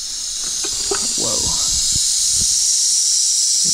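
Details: A small, feisty tiger rattlesnake rattles in a steady, high, hissing buzz while being released into a rock pile in humid monsoon weather, with a person breathing hard nearby.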